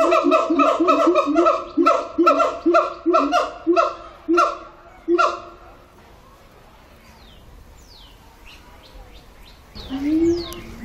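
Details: A siamang singing at a zoo gives a run of loud, rhythmic hooting calls, each rich in harmonics, repeated about twice a second.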